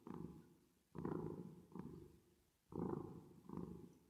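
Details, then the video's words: Resting, sleeping cat purring with reverb added. A short stretch of two deep, gravelly purr cycles: a loud rumbling pulse followed by a softer one, repeating roughly every two seconds. "10 Minutes Of Cat Purring Sound With Reverb Effect"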